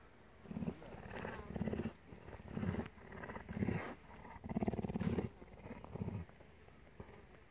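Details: Captive cougar at the Primorsky Safari Park in Russia purring in low, rumbling bursts that swell and fade roughly once a second, with short quiet gaps between some pulses.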